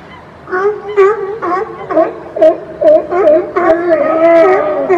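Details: California sea lions crowded on a platform in British Columbia give repeated moaning, wavering barks about twice a second, several voices overlapping in a steady chorus.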